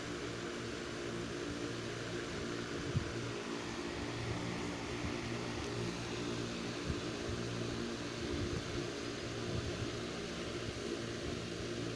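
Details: Steady mechanical hum like a fan or engine, with a few faint knocks and no animal calls.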